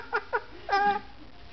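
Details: Dachshunds playing indoors, a little sister roughhousing with her older brother; two short, sharply falling yips, then a longer, wavering, whine-like yelp that slides downward, in a quiet room.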